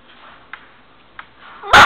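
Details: A Golden Retriever puppy behind a baby gate lets out one sharp, high yapping bark after a near-silent pause.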